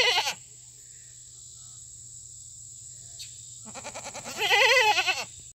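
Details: Fainting goats on a farm calling loudly on a treat day of fresh cut grass; a short wavering bleat at the start, then a long loud quavering bleat near the end, with a steady high electrical hum and a person speaking.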